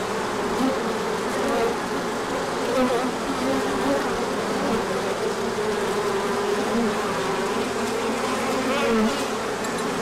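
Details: Crowd of bees making an orientation flight in sunshine after a cold spell, 24 March 2024. A continuous, thick droning buzz, individual wing tones sliding up and down over the constant hum.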